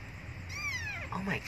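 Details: Abandoned kitten crying for milk utters a single arched meow, rising then sliding down, with faint human voice sounds at the end and low background rumble.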